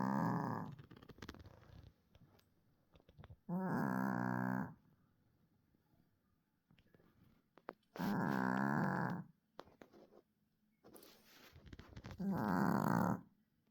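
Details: A dog snoring, with deep, harmonic rasping snores of about a second each, recurring roughly every four seconds, and quieter breathing heard between them.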